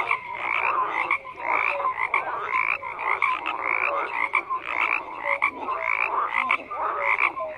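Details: A thick chorus of frogs: rapid pulsed croaks overlap constantly, swelling and dipping in loudness, while short piping tones stand out every second or so.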